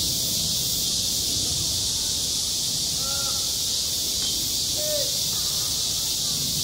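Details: Midsummer cicada chorus over a school sports ground, a constant shrill buzz that never pauses, while a few short, faint, lower-pitched calls drift through the middle of the recording.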